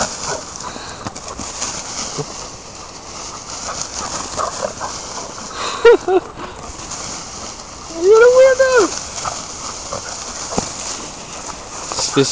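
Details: A scared dog named Kobi gives a rising then falling whine near eight seconds, after a brief sharp yelp around six seconds, while a person talks to it throughout.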